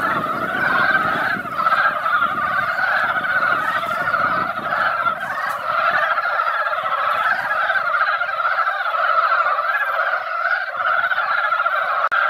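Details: A mountain pond turned noisy as mountain frogs gathered after a light spring rain to spawn. Overlapping croaks pour out without pause in a thick, rattling chorus. A low rumble in the first half later fades away.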